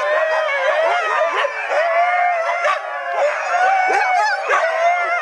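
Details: Fourteen Siberian huskies howl together along with the town church bells at 7 o'clock, as they do every day, long wavering tones overlapping in a dense chorus.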